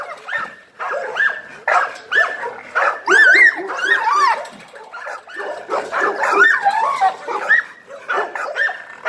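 An American Pit Bull Terrier gives rapid, high whines and yelps in quick bursts.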